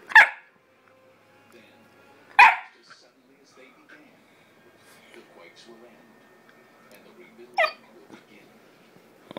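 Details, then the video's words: Onyx, a 9-week-old Bullmastiff puppy, barks back during a scolding of no barking, giving three short sharp yaps spaced several seconds apart, with faint room noise between. "Amazing Chunky Monkey Talks Back about being Chunky"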